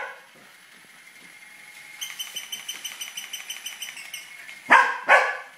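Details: A Tibetan Terrier chasing a toy rat: a quick series of high, even clicking squeaks, then two short, sharp barks close together near the end.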